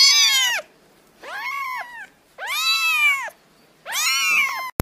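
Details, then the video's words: Kittens meowing in four separate drawn-out calls, each rising then falling in pitch, with bright, rich overtones. The calls are spaced by short silences, and a brief click ends the sequence. "meowing kittens"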